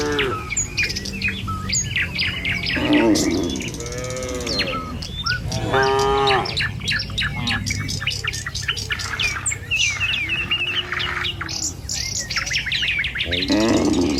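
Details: Cattle herd driven along a rural village road in the morning; a few moos of varying length rise through a dense chorus of chirping and squawking birds that fills most of the recording.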